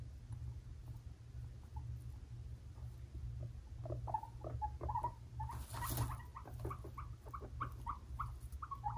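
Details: Brothers Fluffy and Cocoa, five-month-old pet guinea pig boys, squabbling; short scattered squeaks and chirps grow busier halfway through, with a brief hiss of noise and a steady low background hum.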